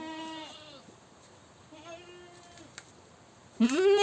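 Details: Screaming goat with a steady, nasal bleat lasting almost a second, a softer distant cry in the middle, and an abrupt loud rising scream breaking in at the very end.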